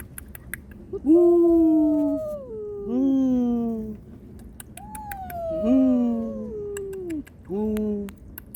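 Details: Domestic cat mother giving an angry warning to an intruder to protect her kittens, with kittens crying for their mother; loud, long meows sliding downward, five drawn-out wails in close succession separated by brief pauses.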